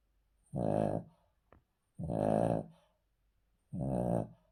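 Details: Three throaty, rattling snores from a male Cavalier King Charles Spaniel sleeping on the floor, each under a second long and evenly spaced about one and a half seconds apart, with silence between.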